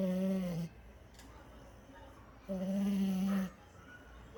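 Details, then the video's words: Snoring French Bulldog gives two steady, humming snores, a short one and then a longer one about a second long, with soft breathing noise in the pause between them. "Bulldog Francês Roncando!"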